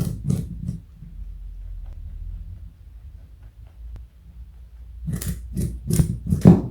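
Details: Pet rabbit Joey, 4.6 kg, chewing carrot in a room. A few crunchy bites open the recording, a quiet pause follows, then a livelier run of crisp crunches toward the end.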